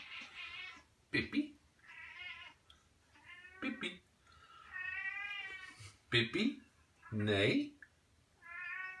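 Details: A Devon Rex cat hiding in a warm, just-finished dishwasher gives a series of drawn-out, wavering meows, some rising and falling, mixed with human voices speaking Portuguese indoors.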